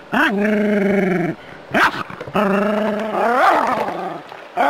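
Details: Jack Russell terrier confronting a harmless rat snake in the city: prolonged harsh bark-howls held for around a second, a quick sharp yip between them, and a final cry that climbs and breaks upward.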